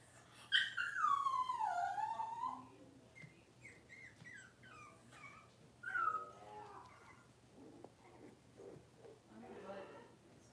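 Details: Six-week-old Cavalier King Charles Spaniel puppies in an indoor puppy pen, during deworming and toenail trimming: a long high descending whine opens, followed by shorter wavering whimpers and faint squeaks.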